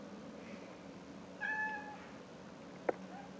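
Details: Talkative pet cat producing a short, clear meow about half a second long with a steady, slightly falling tone, followed by a sharp click and faint low background hum.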